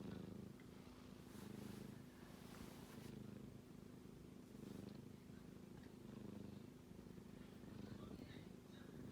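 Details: Sleeping kitten breathing with a soft, low, continuous snoring rumble that swells gently every couple of seconds, with faint rustling in the background.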